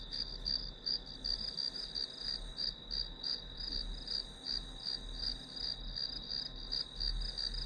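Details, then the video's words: High, pulsing insect chirps from grass insects, about three pulses a second, ride on a continuous piercing tone in a quiet recording meant as white noise for studying, with soft low hum underneath. "풀벌레 소리"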